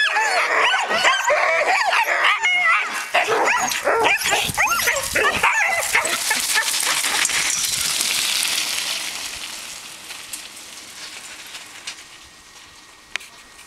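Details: Malamutes and huskies training with a three-wheel scooter give a dense chorus of yips and wavering howls for about six seconds, then the cries fade into a steady rolling, rushing noise as the team moves off.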